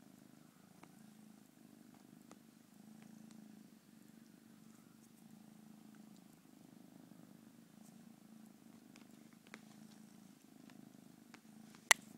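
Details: A domestic cat purring steadily, a low rumbling hum rising and falling in long breaths with short pauses roughly every two to three seconds; a sharp click near the end and faint background ticks.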